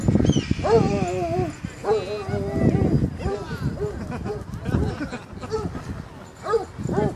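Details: Basset hounds at a dog park give a run of drawn-out, wavering bays and barks, several overlapping with one another, while people talk nearby throughout.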